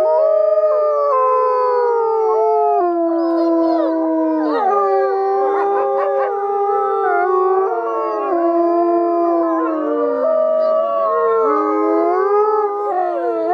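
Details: Several gray wolves howl together at Asahiyama Zoo during its snow-lantern winter event, in drawn-out, mournful tones that glide and waver in pitch, overlapping with barely a pause into a continuous harmony.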